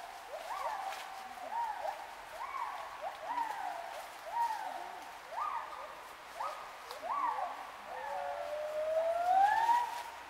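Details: Wild gibbons in Khao Yai National Park, Thailand, 11 December 2016, giving quick repeated hooting notes, each rising then flattening, about four per second, ending in a longer smoothly climbing whoop against quiet forest background.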